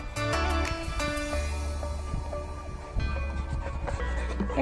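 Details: Background pop music with a steady low bass line and bright synth notes, with no clear animal voice above it.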